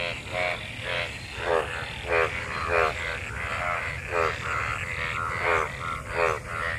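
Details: Frogs mating in monsoon rainwater give rhythmic, rasping croaks that rise slightly, repeated a little faster than once a second over a low rumbling background.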